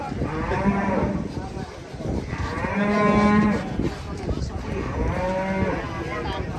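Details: Cattle described as raging when about to be sold; three long, harmonic moos about two seconds apart swell and fade, with other cattle and a busy market din behind them.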